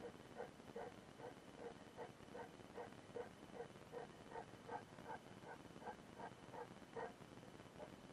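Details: Mildred the mastiff on a road trip, inside a car: a rapid run of short, sharp yelping barks, roughly two or three each second at a fairly even pace, over a steady low engine hum.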